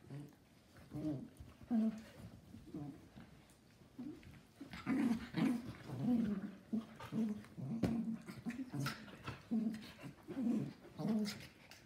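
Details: Two pet schnauzers, a mini named Gio and a giant named Kylo, wrestle in play indoors, giving a steady run of low rumbling growls in short bursts, with faint scuffling between them.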